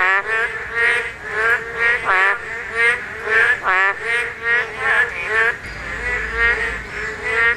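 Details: Korean narrow-mouthed toads calling during spawning, the only time the call is heard; nasal, harmonic croaks repeated roughly every second in a steady chorus, several overlapping, with a bright buzzy edge.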